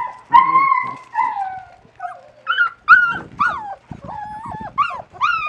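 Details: A litter of 37-day-old West Siberian Laika pups on their first day out in the puppy pen after the weather turned nice. Thin, sliding whimpers rise and fall, then come as short yelping squeals about every half second.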